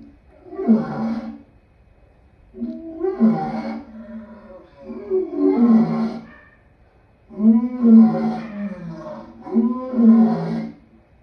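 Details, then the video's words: Lion giving five deep, rough roaring bursts about two seconds apart, each a harmonic groan that swells and fades, with short quiet gaps between. "Lion sounds"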